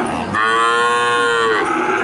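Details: A cow at the Jatirogo livestock market in Tuban, Indonesia, gives one loud, steady, drawn-out moo lasting about a second, rich in harmonics and falling slightly at the end, amid market chatter.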